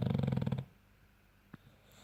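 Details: A French bulldog (Canis familiaris) snores with a deep, rattling snore that flutters low in its throat, then falls quiet.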